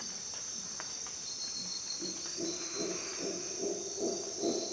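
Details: Dawn in a Costa Rican jungle: a faint start, then howler monkey roars build into rhythmic, guttural pulses repeating roughly every half second, with a constant shrill insect chorus above.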